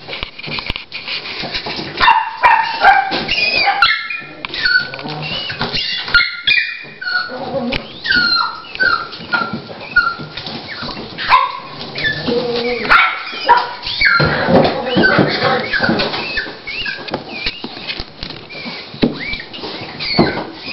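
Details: Dolly, a female Toy Pinscher, at the start of labour and preparing to give birth to her puppies. Dense, high whines and short yelps with rising and falling pitch follow one another almost without pause.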